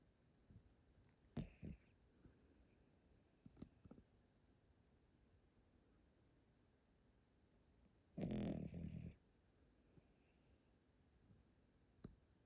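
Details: Loud snoring from Yotaro, an old Pomeranian asleep indoors at a relative's house in Japan: a short double snort early on, then a longer, deep, rattling snore near the end, with quiet breathing between.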